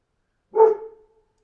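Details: One loud bark from a dog outdoors, sharp at the start and trailing off into a brief ringing tail; nothing else audible.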